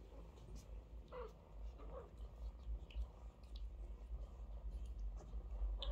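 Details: Mother cat with her kittens, washing and feeding them in turn; a low, steady purr throbbing in quick rhythmic pulses throughout, with a few light clicks and short faint squeaks above it.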